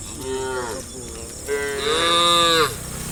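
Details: A herd of tame brown, black and cream cows walks toward watery grassland in afternoon sun. A moderate moo is followed by a longer, louder, hoarse low that holds and then drops away.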